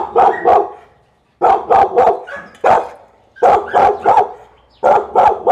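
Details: Pit Bull barking in quick bursts of three or four sharp barks, each burst separated by about a second of quiet, with a harsh, mid-pitched tone.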